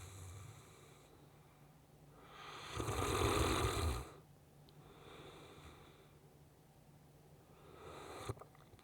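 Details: Sleeping Saint Bernard named Riki gives one deep, raspy snore lasting about a second and a half, followed by softer breaths and a faint snort near the end over a low indoor hum.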